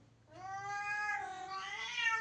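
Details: Pet cat crying at a shut door to be let through, one drawn-out meow of about two seconds, rich in harmonics, gently rising and swelling in strength toward the end in a quiet room.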